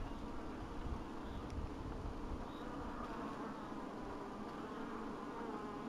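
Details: Honey bees buzzing at an apiary in 2012, a steady low droning hum with no clear breaks, dense and continuous throughout.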